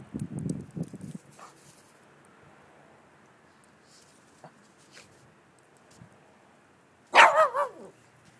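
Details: Shih Tzu racing around in snow, filmed 21 June 2011; low rustling and scuffing early on, then one loud bark sliding into a wavering yelp near the end.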